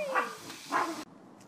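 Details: Corgi named Mona Lisa, a pet dog, gives two short, tonal, whiny yelps about half a second apart, each with a bright ringing overtone, before the sound cuts off abruptly into near silence.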